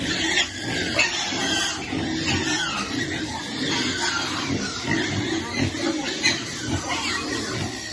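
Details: Piglet calling while it waits for food: continuous overlapping grunts with sharp squealing bursts roughly every second, noisy and harsh throughout.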